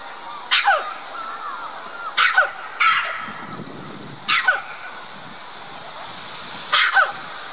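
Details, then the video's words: At Dublin Zoo a red-capped mangabey calls from high in its tree toward white-collared mangabeys housed across the lake; five sharp, falling barks spaced irregularly, some in quick pairs, over faint low rumble. "Red-capped mangabey is calling for attention"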